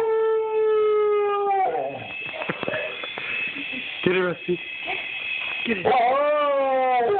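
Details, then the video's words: Domestic dog reacting to a toy helicopter: a steady held wail opens, then breaks into rough, wavering cries with a person's voice mixed in, before a rising, sliding howl at the close. "Barking at Toy Helicopter"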